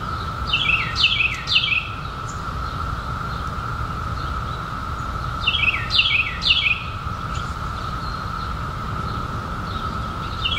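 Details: A massed chorus of periodical cicadas, out in 2021 after a 17-year wait, sustains an even humming tone. Two groups of three quick downward-sweeping bird chirps come about five seconds apart.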